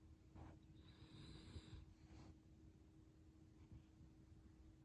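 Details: A sleeping toy poodle named Chachamaru gives a heavy snore: a short breathy rasp, then a longer drawn-out one carrying a faint whistling tone, and a brief exhale, all over a low steady hum.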